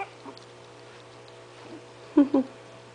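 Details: Five 20-day-old puppies of Itsy Bitsy poke around indoors while waiting for their mother to feed them; soft rustling, then two short, loud, low squeaks in quick succession near the end, over a steady electrical hum.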